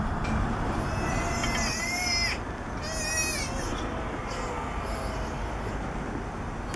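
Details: Young southern sea otter pup, three weeks old, crying for mom from the back of a boat in Monterey, California: two piercing, quavering high squeals, the first longer, then quieter faint cries amid continuous low background rumble.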